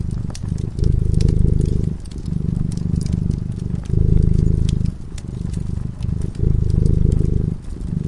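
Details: Cat dozing before a crackling fire, its soft rumbling purr rising and falling in a regular breathing rhythm, about four strong phases, with frequent small pops from the burning wood.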